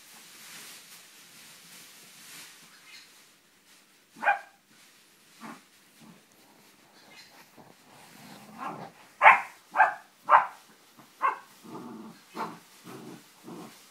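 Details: Four-month-old English Springer Spaniel puppy playing indoors on a bean bag with a toy, giving a run of short sharp barks and yips that cluster in quick bursts after a quiet start, with soft scuffling between.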